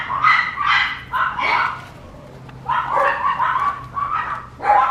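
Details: Papillon puppy barking in high-pitched yips: a quick run of four, a quiet stretch of about a second, then another tumbling series ending in a sharp yelp, over a soft low hum.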